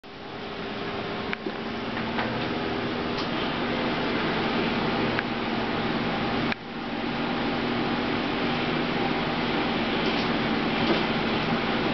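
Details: Steady mechanical fan or air-conditioning hum fills the room, with a few faint clicks and no animal voice.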